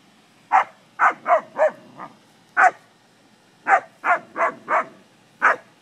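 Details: Rapid runs of barking come from English springer spaniels having fun with cattle. Two bursts of four to five quick barks are split by single barks, with a faint hum behind them.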